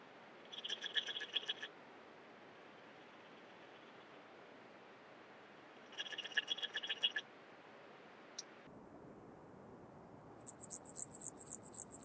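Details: A common mountain bush-cricket, Antaxius pedestris, at Huben, Austria, 8 September 2020, heard via ultrasound detector. Two buzzy, crackling pulse bursts come five seconds apart, then a separate thin, very high trill at the end.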